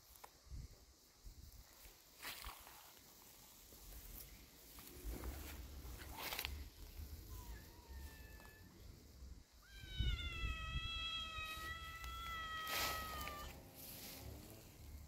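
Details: Outdoor cats, a brave kitten near an older cat: after rustling and footstep noises, a long drawn-out whining meow with a steady, slightly wavering pitch, preceded by two brief faint mews.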